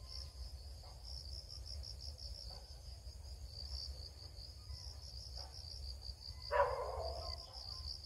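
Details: Cricket chirping continues as an even run of quick high pulses. A sudden brief thump-like burst of noise interrupts near the end, over a background of low rumble.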